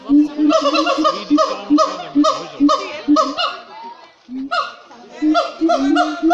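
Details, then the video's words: Siamangs in full voice at Cotswold Wildlife Park calling loudly in a rapid series of harsh, honking barks, about two each second. "Siamang monkeys in full voice at Cotswold Wildlife Park, LOUD!"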